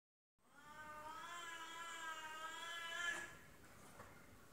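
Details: Female F2 Savannah cat squabbling with a serval indoors: a long, steady, harmonic yowl lasting about three seconds, swelling slightly before a brief rasping peak, then fading to quiet room noise.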